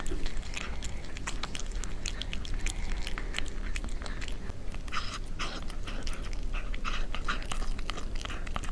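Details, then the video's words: Cat chewing its food up close for ASMR: quick successive crunchy bites, busiest in the second half, with a continuous low droning rumble underneath. "Cat Eating, Asmr Cat"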